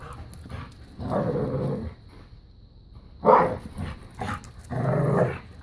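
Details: Playful tug of war and keep away between a new puppy and Bella, a five-year-old black lab pitbull; two drawn-out low growls bracket a single sharp bark, with quiet pauses between.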